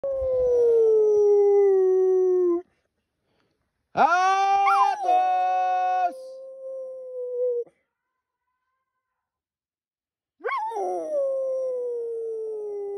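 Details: A Staffordshire Bull Terrier gives three long, sliding howls separated by silent pauses, howling along as its anxious owner calls for a pitbull-boxer cross that ran off into the woods on a hike.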